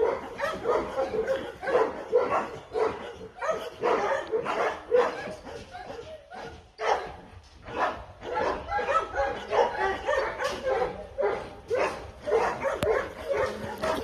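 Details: Dobermann barking in a long run of harsh, mid-pitched bursts, nearly two per second and somewhat irregular, with brief pauses between volleys.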